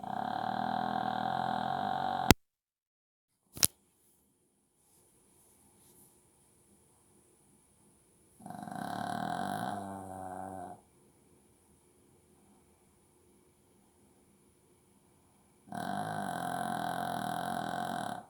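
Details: A Shih Tzu snores in long, rasping breaths separated by several quiet seconds.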